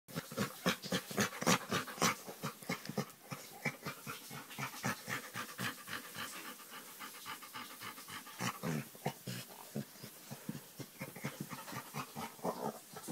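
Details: Chocolate Labrador Retriever making odd noises while being scratched on the back: rapid, rhythmic panting huffs, about four per second, with throaty grunting bursts.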